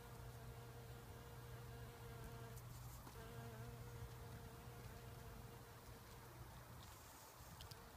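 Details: Nectar-feeding bumblebee, Bombus ignitus, working wild rose flowers: a continuous deep buzz that breaks briefly near the three-second mark, then resumes steadily, over a low background rumble.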